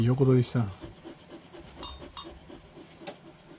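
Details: Golden Retriever resting indoors in a cool air-conditioned room set to 20–22 °C, at a site about 400 m above sea level. A brief human voice opens, then soft rapid breathy panting pulses repeat several times per second.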